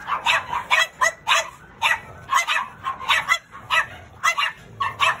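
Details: Rapid high yips and barks from a black pug with a curly tail, tumbling out almost continuously in short clusters, roughly fifteen sharp bursts packed into five seconds.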